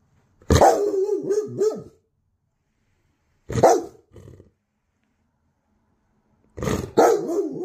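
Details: A Bernese Mountain Dog at home gives bursts of deep, wavering barks about three seconds apart, barking at people walking past the house after hearing weird sounds.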